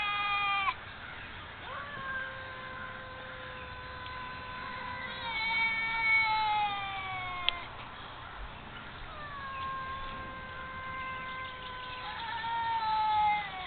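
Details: Two feral cats that have lived in woods behind a house since kittens, heard 'talking' to each other for the first time: long drawn-out harmonic meows, some rising then falling, others held steady, trading back and forth every few seconds.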